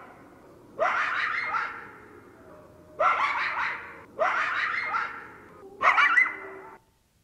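Coyotes give four bursts of high, wavering yips and quavering howls, each lasting about a second.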